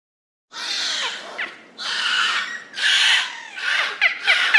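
Beluga whales call in rapid bursts of harsh, buzzy squeals, each about a second long. Short whistled chirps sweep downward through the noise, giving the mix a bright, chattering quality.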